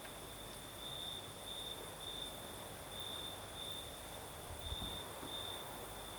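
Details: Crimean night crickets in a night breeze; a high steady trill with occasional brighter bursts, partly masked by a stronger low wind rumble and a brief thump near the end.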